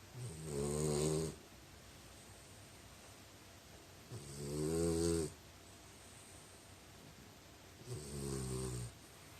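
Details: French Bulldog snoring indoors: three long, rough, rattling snores, each lasting about a second and a half and coming roughly every three and a half to four seconds, with quiet breathing pauses between them.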